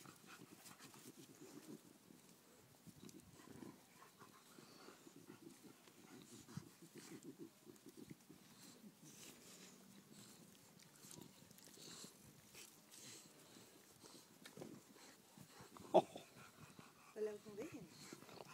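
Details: English Bulldog puppies suckling at their mother, heard as a steady, quiet stream of low snuffling grunts and smacking sounds, with a few sharper squeaks near the end.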